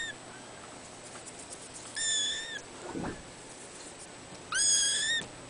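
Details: Cattery kittens, born 3 December 2011; two long, high, thin mews with a slight rise then fall, a few seconds apart, over a constant hiss and a brief low rustle.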